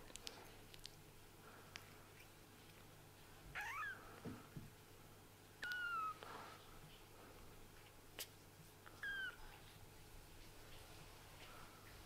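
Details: Kittens whose eyes have just opened, calling indoors: three thin, high mews, each sliding downward, spaced a few seconds apart, over a quiet room with a steady low hum.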